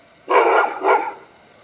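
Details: Afghan Hound barking outdoors in the snow, which it enjoys barking at: one loud, hoarse two-part bark, a strong first burst then a shorter second, in an otherwise quiet setting.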